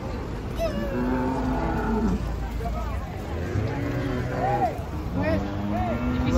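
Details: Agitated cattle coming down off a truck, among several restless animals including a pair of twins; a long, low, drawn-out moo early on, then shorter lowing calls overlapping a man talking over steady background rumble.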